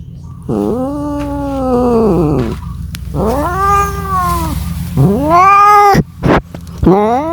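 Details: Cat calling for a mate with three arched yowls, each rising then falling over one and a half to two seconds, separated by short gaps, with a couple of brief sharp clicks near the end.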